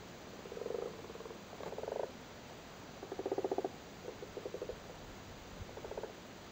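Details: Frogs spawning in a flooded cattle grid in Cork, Ireland, sitting on their spawn, give rattling croaks of quick clicks, five or six short bursts, the loudest in the middle of the clip.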